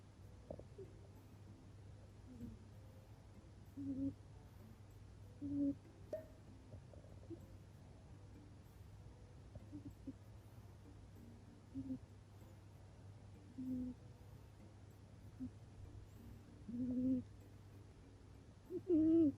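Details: Baron, a male Scottish Fold cat, talks in his sleep indoors with soft, short, low hooting 'puu' puffs. They come in irregular bursts every few seconds, some slightly rising, over a steady low room hum.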